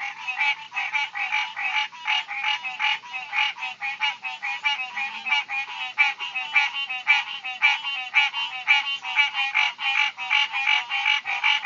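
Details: Loud tree frogs recorded on a phone in summer; a dense chorus of rapid, rasping pulses repeated many times a second, continuous and overlapping, with no other clear sounds.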